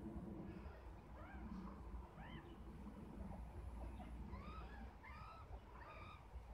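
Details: Meerkat mother with her six-week-old babies; the babies give short, arched, chirping calls in quick bursts over a steady low rumble.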